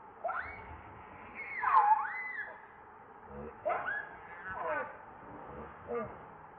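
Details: Hungry baby monkey Leo wails for its mother's milk: a long series of pleading, tonal cries that rise and fall, the loudest a drawn-out wavering wail near the two-second mark, then shorter sliding whimpers repeated every second or so.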